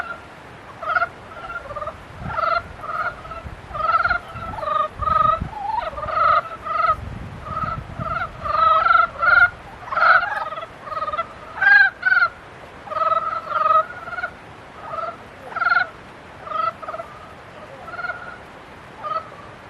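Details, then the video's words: Frogs calling in mating season: a dense chorus of overlapping nasal, harmonic croaks, each a short pulsed note repeated rapidly, with voices answering one another almost continuously for the whole stretch. "개구리 짝짓기"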